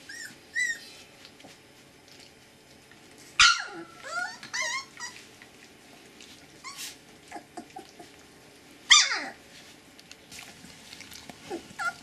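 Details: Twenty-day-old Siberian Husky puppies, offspring of Gau and Arkan, filmed 8 March: scattered high whines and squeals come in three bursts, some sliding downward, with soft rustling and squeaks between them.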